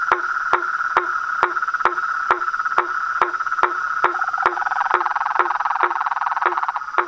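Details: Frogs, toads and tree frogs calling together: crisp knocking notes repeated about twice a second over a continuous rattling trill that grows denser toward the end.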